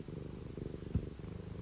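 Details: Pet cat purring while staying close to its owner, a steady low rumbling throb of rapid even pulses, with a single soft tap midway and no other sounds.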